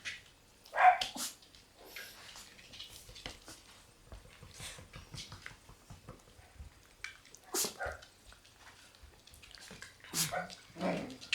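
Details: Black Shiba Inu puppies, including newcomers born in March, in an indoor puppy room; one sharp high yelp early on, then scattered soft squeaks among clattering, scuffling and bumping sounds, with faint voices in the background.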